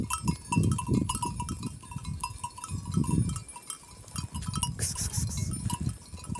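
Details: Kangal sheep, likely with lambs, from Kayseri, Turkey. Low, rough bleats rise and fall in short bursts, with steady ringing tones over them and a burst of high hiss near the end.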